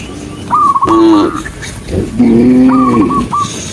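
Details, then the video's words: A tame cow walking calmly through a green forest gives two drawn-out, tonal moos about a second long each, with short high whistled notes, likely from birds, between and after them. "a tame cow's journey walking across the green forest and the sound of a cow, cow sound cow Moo"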